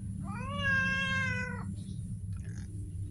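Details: Street cat giving one drawn-out meow about a second and a half long, steady in pitch with rich harmonics, over a constant low rumble of background noise.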